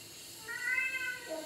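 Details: Male pet cat replying when called indoors: a soft, sustained tonal meow that trails off into a brief lower note, with low hiss in the background.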